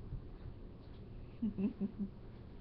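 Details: Bubba, an eight-week-old Great Pyrenees puppy, gives four short, low grunting whimpers within about a second, set against a steady low indoor hum.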